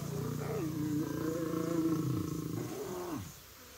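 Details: Lion growling, the kind of sound made while playing, licking each other or resting, a sign of pleasant feeling that keeps the peace; a steady deep rumbling growl with a wavering tone, fading after about three seconds.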